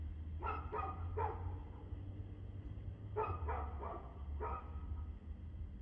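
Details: On 2/6/2024 at 6:02 pm a dog barks in two quick clusters of three to four barks separated by a short gap, with a constant low-pitched hum in the background.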